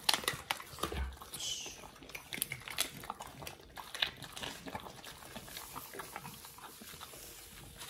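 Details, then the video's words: Two Pit Bulls, Oliang and Nomyen, eating raw healthy treats: soft, irregular crunching and wet smacking bites in quick bursts, with one louder bite near the start and a faint steady background hum. "Oliang and nomyen the Pit Bulls eat RAW healthy treats [ASMR] MUKBANG 犬が生の肉を食べる [咀嚼音]"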